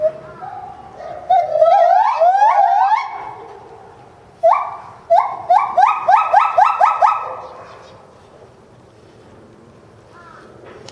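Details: A Bornean white-bearded gibbon at Higashiyama Zoo, filmed in January 2011, calls intensely while leaping about, giving loud, rising whoops that speed up into a rapid series.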